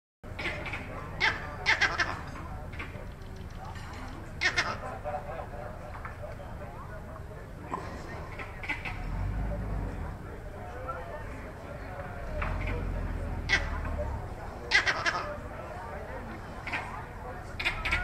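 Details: Vervet monkey on the edge of Lake Naivasha, north of Nairobi, Kenya, giving its distinctive call: short, harsh, broadband bursts scattered irregularly through the recording over a steady low rumble, which swells twice in the middle.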